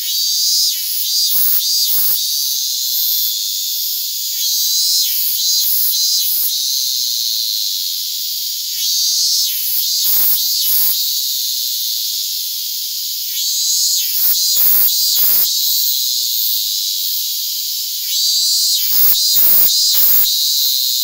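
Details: Continuous shrill buzzing of Japanese cicadas, Hyalessa maculaticollis fuscata, perched on a hand on August 8, 2022, swelling slightly at times, with clusters of sharp crackling noises every few seconds.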